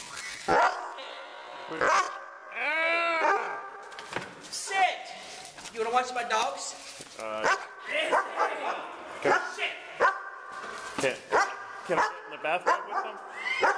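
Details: Pet dogs said to be attacking a person with a broken foot let out sharp yelps and drawn-out rising and falling whimpers among a person's steady chatter and orders.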